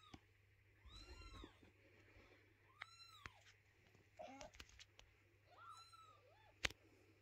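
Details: Mother cat moving her kittens and not letting anyone clean their little house, indoors: several short arched meows, some thin and high like kitten mews, with soft clicks and a sharp knock near the end.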